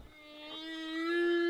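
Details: A male humpback whale sings one sustained, steady tonal unit with rich harmonics that rises slightly at its end, recorded off Maui, Hawaii, during humpback whale season.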